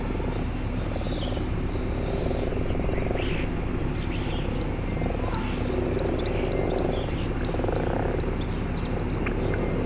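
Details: Common frogs returned to a garden pond in spring, calling together; low purring croaks in a steady overlapping chorus, with a few high bird chirps above.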